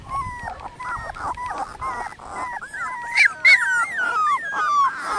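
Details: Dogo Canario puppy litter, 18 days old, parents Annie v.d. Pretorianern and Mirko De Atlantida Can; loud drawn-out whines sliding downward, overlapping cries from several pups, a couple of sharp high squeals midway.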